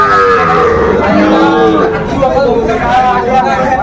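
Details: At a busy Cumilla cattle market in Bangladesh on 16 December 2024, Sahiwal bull calves low in long, wavering tones that overlap one another, with men talking and bargaining all around.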